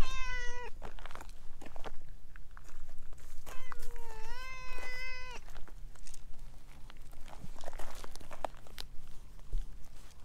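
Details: Chatty stray orange tabby cat pressing against someone's legs: a short meow at the start, then a longer level meow a few seconds later, with scuffing and handling noises between calls.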